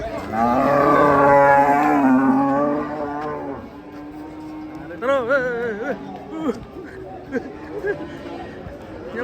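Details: Fat domestic cow giving one long, loud, deep moo lasting over three seconds, then quieter shuffling, people talking and a few short vocal sounds.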